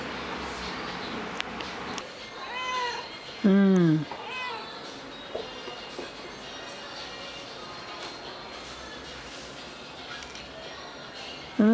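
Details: Ginger cat recently recovered from a serious virus, filmed indoors on 6 September 2022 at 2:31 PM with a Fujifilm X-T10; a few short rising-then-falling meows around the middle, one clearly louder, over faint room noise.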